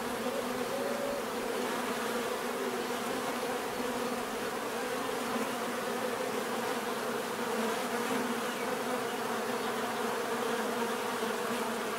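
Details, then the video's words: Constant mass buzzing of bees, a thick unbroken drone holding steady throughout, with one bee's brief rising whine early on. "bees therapy relaxing natural buzzing sound"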